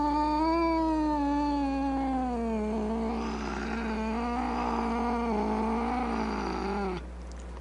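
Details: One of several cats and kittens meowing loudly: a long wailing cry that slowly falls in pitch, turns rougher and more strained midway, then cuts off abruptly after about seven seconds.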